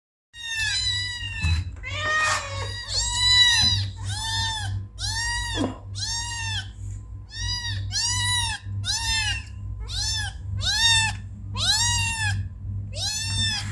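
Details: Kittens meowing: about a dozen short, clear, arched meows with rich harmonics, coming one after another roughly every second over a steady low hum.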